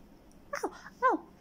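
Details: Persian cat giving two short meows, each a quick harmonic note that slides downward, the second slightly louder, in a quiet indoor room.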